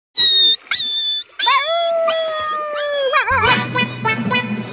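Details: Dog giving short yelps, then a long, steady, tonal howl with a slight wavering at its end. Looped music with a low pulsing beat comes in over the final second and a half.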